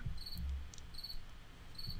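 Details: Cricket indoors in a studio, sounding like a summer night outside: thin, high, pure chirps repeated roughly once a second over a loud low rumbling background.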